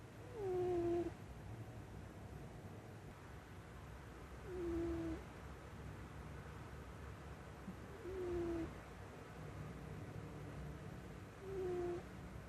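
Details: Cat asleep on someone's lap, snoring: four nasal, whistle-like tones that slide down in pitch, spaced roughly three and a half seconds apart, with a soft low breathing rumble throughout.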